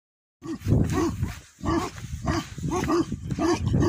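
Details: Tibetan Mastiff, a Bhote Kukur guard dog at a yak farm in Nepal, gives a run of deep, arched barks in quick succession, with short gaps and a low rumbling background throughout.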